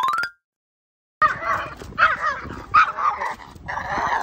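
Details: Pomeranian out on a walk after grooming, barking in a fast, uneven run of sharp yaps after a short pause, several bursts within about three seconds with some whiny overtones.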